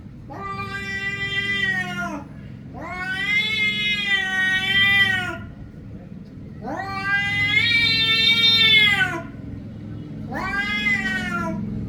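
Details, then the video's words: Cat giving four drawn-out, harmonic meows of about one to two and a half seconds each, rising at the start and sagging at the end, separated by short gaps over a low steady background hum. "meow little kittens Vs cats"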